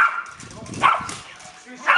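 A Schipperke gives two sharp, high barks about a second apart, with a person talking quietly.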